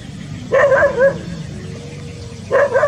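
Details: Rural village dog out by a green rice field in the countryside, giving two short, tonal, yelping barks about two seconds apart, each with a quick wavering pitch, over a low steady background hum.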